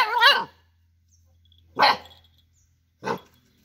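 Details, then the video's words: Dog barking in a short compilation of cute, funny dog sounds: three separate barks, the first longer and yelping, then two shorter sharp ones about a second apart, with a low steady hum underneath. "Cute and Funny Dog Sounds"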